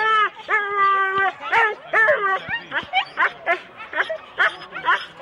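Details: Sled Huskies in four-dog teams at the start, Rendlesham, January 2016: excited, high yelps and drawn-out whining barks overlap rapidly from several dogs, some calls held level, others sliding down in pitch.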